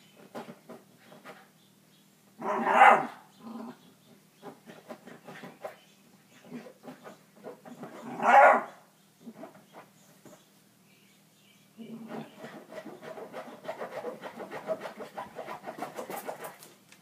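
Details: Female whippet described as hyperactive, recorded indoors: two loud barks about six seconds apart, a few softer yips between them, then a stretch of continuous rapid panting or scuffling.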